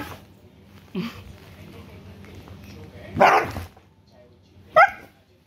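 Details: Angry Siberian Husky in Haryana, India, giving three short outbursts: a low gruff bark, then a loud harsh bark-growl around three seconds, then a sharp higher yelp near the end, over a steady low hum and faint voices.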